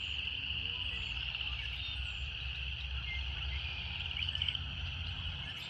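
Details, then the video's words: Even, sustained high buzzing of cicadas in nature, holding one pitch with slight wavering, over a murmuring low-frequency background. "Canto das Cigarras"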